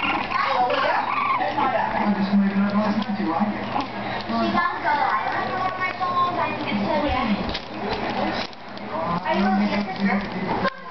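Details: Several 4-week-old French Bulldog puppies growl, whine and grumble over one another in low, throaty, uneven bursts while play-fighting. Human voices may also be faintly mixed in.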